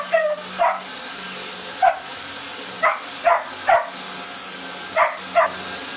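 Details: Beagle puppy named Dino guarding his bed and toy from a vacuum, giving quick irregular yips and barks, some paired, against the constant drone of the running vacuum.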